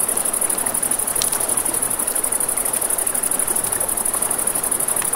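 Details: Crickets at night beside a river: a steady, very high, rapidly pulsed chirping trill runs through the whole stretch, over the crackle and snap of a campfire and a soft rushing of river water.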